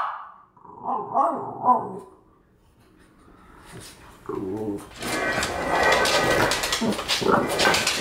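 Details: A female French Bulldog is furious at a French Bulldog figurine: she grumbles and growls, then breaks into rapid, furious barking while people laugh and exclaim.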